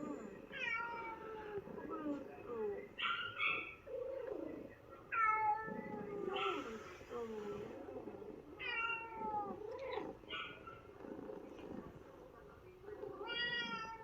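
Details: Ginger domestic cat in New Zealand, mewing repeatedly and sadly after a trip to the vet: about seven short falling meows spread over fourteen seconds, mixed with lower, rougher vocal sounds and quiet indoor background.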